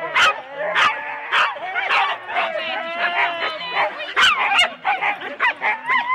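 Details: Four-dog Husky sled teams at the start, Rendlesham, January 2016, on analogue cassette tape: a dense chorus of high, wavering yelps and whines, broken by sharp barks, with the odd human voice beneath.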